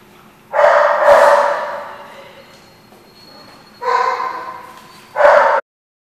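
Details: Dog, 12/12/14 recording: one long drawn-out bark, a pause, then two shorter tonal barks in quick succession, each starting abruptly, with faint hum beneath.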